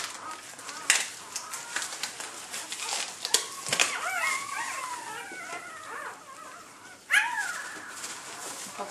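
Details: Newborn Labrador Retriever puppies during the birth of the last pup of a litter of eight, a red female, indoors; thin high whining squeaks rise and fall in short bursts midway, with rustling and handling noises around them.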